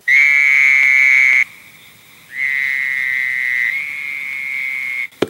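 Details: Fowler's toad, usually heard near lake shores and river valleys in late spring or summer, gives long, nasal, steady bleats, each held for one to three seconds.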